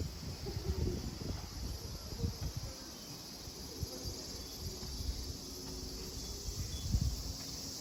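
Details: Continuous cicada buzz at Kozoji Temple (Takakura Kannon), Yana, Kisarazu, Chiba prefecture, Japan; an even, high-pitched hiss runs beneath frequent low thuds and wind-like rumble.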